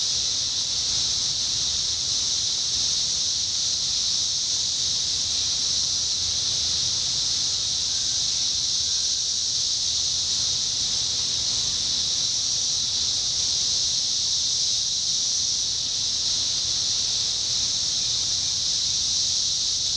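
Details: 17-year cicadas in Indiana during summer 2021 fill the air with an unbroken, even, high-pitched shimmering buzz that holds steady for twenty seconds, with a low rumble underneath.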